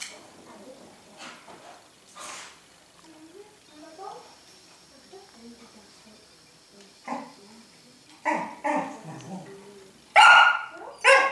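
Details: A dog gives a few sharp, broadband barks late in the recording, loudest near ten and eleven seconds, following a quieter stretch of soft human talking and small scattered sounds.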